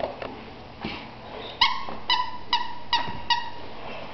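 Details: Thunder, an Alaskan Malamute, barking after a person laughed hard: a few faint sounds, then five sharp, ringing, slightly falling barks in quick succession, roughly two per second, with a quiet room behind.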